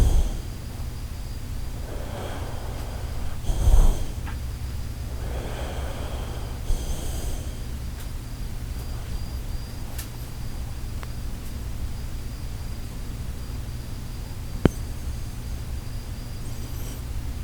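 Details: Shiba Inu Koharu asleep, snoring with a sound likened to the Titanic setting sail: a few rough, breathy, low snorts spaced several seconds apart, the loudest near the middle, over a steady low indoor hum.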